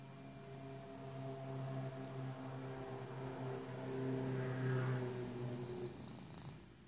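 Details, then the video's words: A sleeping male Persian cat snores loudly: a low, buzzy rumble with steady layered tones that swells toward the middle and fades at the end, indoors with no other clear sounds. "Cat Snoring loudly!"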